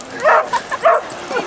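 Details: Basset Hounds, one of about thirty romping along a sunny beach at Exmouth, Devon, give two loud, short barks with softer yelps between them, all within under two seconds.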